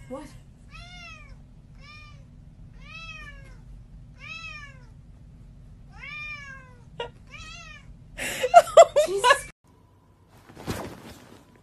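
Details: A pet cat lets out a run of seven short meows, each falling in pitch, about one every second over a low hum, followed by loud rustling and clattering bursts.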